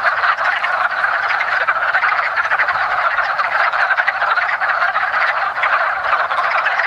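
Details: A woodland pond full of Rana sylvatica at the start of spring, calling during their yearly mating gathering; countless chuckling croaks overlap into an unbroken, even chorus.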